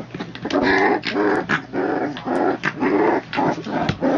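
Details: Three-week-old puppies growling while playing together with a toy shark, born in a kennel litter; bursts of harmonic, rough growls and squeaky grumbles come in quick succession every half second or so, overlapping from several pups indoors.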